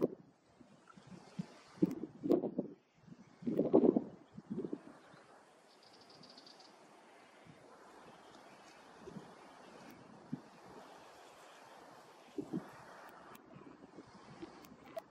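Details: Bombylius major, the greater bee fly, heard in short intermittent bursts of buzzing around two to five seconds in and again near twelve seconds, separated by faint outdoor ambience.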